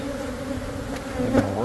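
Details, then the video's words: Honey bees from a hive built inside the wall of a Catholic church building near a school in Monrovia, disturbed during removal for relocation to a beekeeper; a dense, steady hum with banded tones, a brief higher whine near the end. "Super Massive Beehive Removal At A Catholic Church!"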